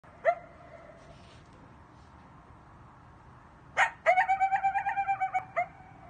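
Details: Coyotes howling at night: a brief wavering howl, then a sharp bark and a quick run of yipping notes.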